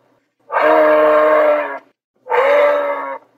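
A moose gives two long, nasal moaning calls, the first drawn out, the second shorter.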